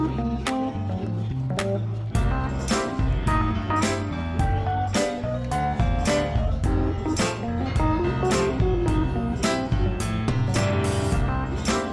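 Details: Strummed guitar music plays loud and steady throughout, with no animal sound.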